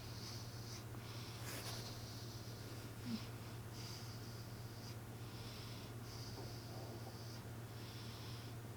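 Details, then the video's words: Human-like snores from a sleeping cat, hushed airy breaths repeating about every second, with one sharp click early on and a faint low hum underneath. "俺のイビキ ロングバージョン💤 My snoring"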